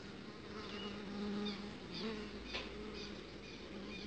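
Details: A low, steady buzzing of uruçu stingless bees, wavering in pitch as they fly, as a queen is mated outside the hive box.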